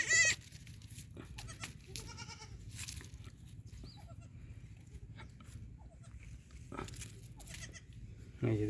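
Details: Black Bengal goat on a farm, bleating several times in short harmonic bursts, with speech and low background rumble throughout.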